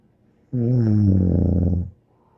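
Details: Bear, a dog, gives a single drawn-out snore, a deep rattling drone of about one and a half seconds that slides gently downward, then quiet.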